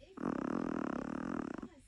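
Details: A small female Chihuahua snores in one long, rough, buzzing breath lasting over a second.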